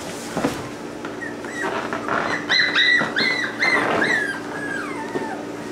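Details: Male Cockabichon puppy makes a run of high, thin whines, each a short sliding note, some rising and several falling, packed closely over about four seconds and ending in a longer descending whimper, over a steady low hum and room noise.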